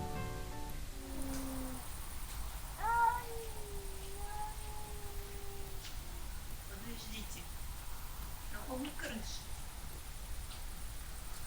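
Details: Maine Coon cat and an intruding black cat caterwaul in a territorial standoff near a garage at a country house by a mountain lake in Carinthia, Austria: long, guttural, wavering moans that rise and fall.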